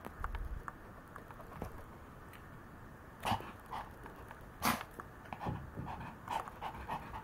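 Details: Maltese dog playing and romping, heard as soft breathy panting bursts and short huffs scattered irregularly through the clip, some louder puffs standing out against a quiet indoor background.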